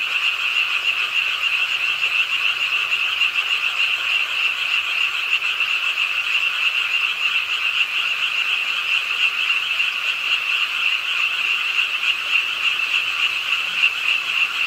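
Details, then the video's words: Frogs croaking in a dense chorus at a pond in Ingye Art Park, Suwon, late on a rainy night; a steady, buzzy, rapidly pulsing trill at two pitch bands, with rain hiss beneath. "비오는 밤 개구리소리, Do you hear the frogs? 비오는 밤 공원 연못 추억의 개구리 소리, Frog Sounds, 빗소리와 함께 듣는 개구리 우는 소리"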